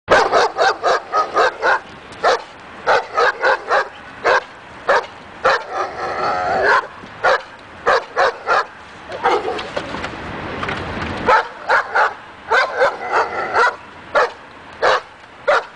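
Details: A dog named in training on an agitation table to build confidence and barking; rapid sharp barks in quick bursts, some with whining harmonic yelps between, dense volleys with brief pauses.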